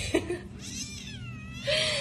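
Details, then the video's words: Kitten stuck in an opened cage, unable to find its way out, giving a long wavering high meow that slides down then rises, with a woman softly coaxing in Indonesian nearby. "Little cat can't Go out cause he in Opened Cage"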